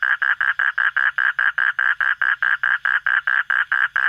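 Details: Frog calling at night, clear separate croaking notes repeated roughly four times a second in a steady rhythm, each note the same pitch and length, with little else audible.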